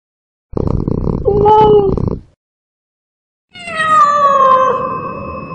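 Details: Cat sounds played to scare rats: a rough, noisy meow with harmonic wavering tones lasting about two seconds, then a gap of silence and a second long, drawn-out meow that slowly falls in pitch.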